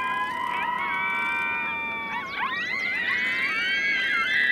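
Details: Five coyote pups answer their mother's howl, which signals her return, with a chorus of howls: many overlapping, wavering, high, siren-like wails that rise and fall and weave together.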